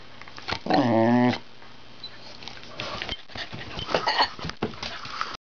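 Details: Harley, a pet Wire Fox Terrier, practising his trained 'speaking', lets out one drawn-out, harmonic, whine-like vocal sound that bends in pitch and lasts about half a second, followed by quiet indoor rustling and faint knocks.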